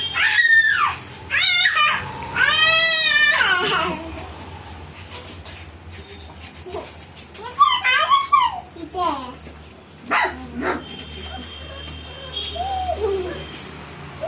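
Golden Retriever puppies give high, wavering whines and short squeaky yelps in bursts.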